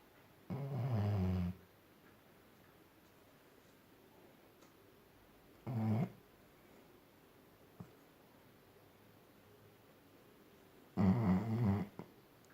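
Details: Sleeping Labrador Retriever snoring indoors: three low rumbling snores about five seconds apart, each lasting around a second, with quiet breathing between them.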